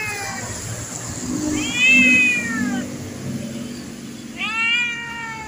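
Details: Tame domestic cat that looks fierce gives two drawn-out, arching meows, the first longer and falling at the end, the second shorter, over a low background murmur.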